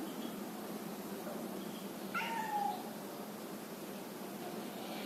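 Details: Male mixed Angora cat giving one faint, short, falling meow amid steady low background noise.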